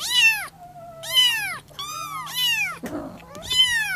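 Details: Persian kittens crying for their mother, indoors: bright, arching meows repeated about once a second, each rising and dropping, with a brief rustle near the end and a low background hum throughout.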